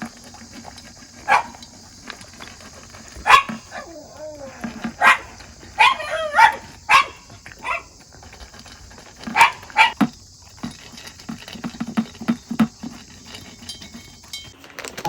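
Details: Shiba Inu waiting for food while being told to wait before a meal of soft dog food; a series of sharp barks and high whining yelps spaced irregularly across the clip, with a person's voice and music in the background.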